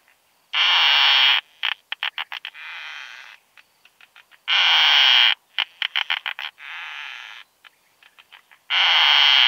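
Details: Keeled plump bush-cricket (Isophya costata) singing at Zitzmannsdorfer Wiesen, Austria, on 1 June 2020, captured with a Pettersson D 100 ultrasound detector: loud broad buzzes alternate with rapid ticking series and softer buzzes, the cycle recurring roughly every four seconds.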